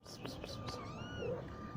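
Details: Newborn kittens in a nest with their mother cat that has just given birth; a short thin high meow rises and falls, wanting to leave the nest, over a few soft taps and light background noise.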